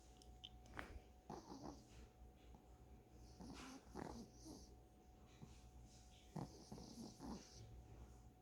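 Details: Dog snoring indoors, recorded up close: soft raspy breaths and snorts come in uneven clusters, with a steady faint electrical hum underneath.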